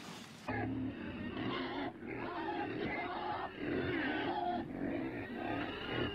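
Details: Pig giving a run of rough, harmonic grunts and squeals in overlapping bursts, loud from start to finish after a short quiet opening.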